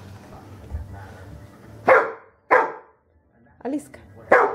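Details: Rhodesian Ridgeback, a female, training with a Manners Minder treat dispenser indoors: deep abrupt barks, three or four loud single woofs about half a second to a second apart, with a soft murmur of a person's voice before.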